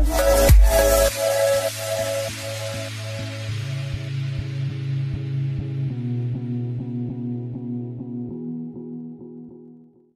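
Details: Electronic music opens with a loud hit, then repeating bass notes and plucked tones fade out toward the end, with no animal voice heard.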